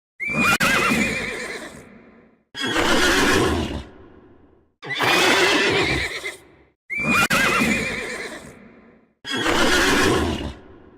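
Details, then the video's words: Horses whinnying: five loud neighs, each about two seconds long with a shrill opening that falls into a shaking whinny, separated by short silences. "CABALLOS - SOUND HOURSES"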